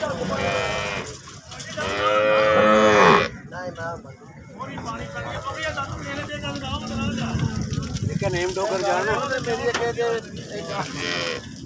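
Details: Holstein Friesian cow for sale, stated to yield 30 liters of milk, lets out a loud rich moo that rises and falls over about a second, followed by a man talking and background music.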